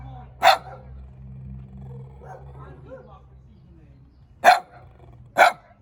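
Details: A small dog gives three short, sharp barks, one early and two close together near the end, over a low hum with soft background speech between them.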